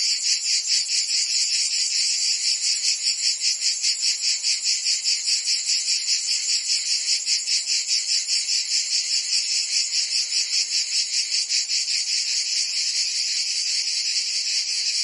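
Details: Cicadas singing in summer in Provence, France: a dense, continuous buzzing chorus pulsing rapidly about two or three times per second, bright and high-pitched, with no other sounds standing out.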